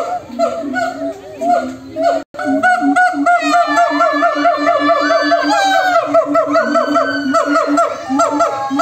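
A chorus of monkeys trading loud, wavering, hooting calls back and forth.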